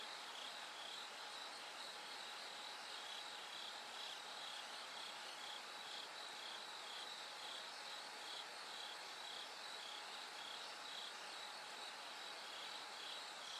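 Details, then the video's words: Bell cricket singing at night as it gradually grows brighter toward dawn: a high, shimmering pulsed trill repeating steadily within a dense insect chorus, with a faint constant low tone underneath. "bell cricket Cry of falling insects"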